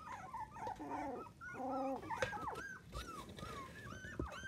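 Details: Young Miniature Dachshund puppies, seven in the litter and under four weeks old, make nasal wavering whines and short arched squeaks indoors, two drawn-out buzzy cries early on, then lighter chirping whimpers and a few soft knocks.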